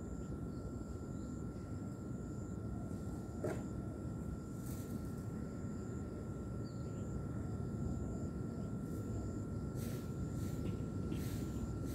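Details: A steady low engine drone, like a passing aircraft or vehicle, with no animal voice. A constant faint tone and a few brief clicks sit above the rumble.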